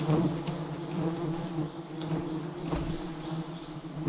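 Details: Giant honey bees buzzing around a nest some 40 metres high as a hunting team harvests it for about 100 kg of honey; an even, low, layered hum throughout with a few soft taps.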